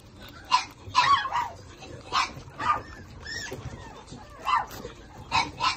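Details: Small Shih Tzu puppies from a litter of two males and two females, nursing with their mother, give short, high squeaky whimpers and yips in scattered bursts.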